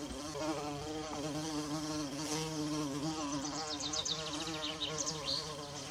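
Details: Bumblebee buzzing in a forest among wild violas: a continuous deep, droning hum rich in overtones, its pitch wavering slightly throughout, with faint high chirping notes appearing in the background during the second half.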